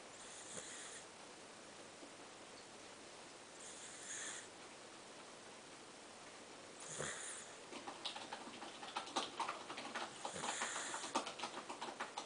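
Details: Dozing indoors, the pet dog Chibichibi gives cute airy snores, breathy hisses spaced about three seconds apart, with dense clicking keyboard taps growing busier in the second half.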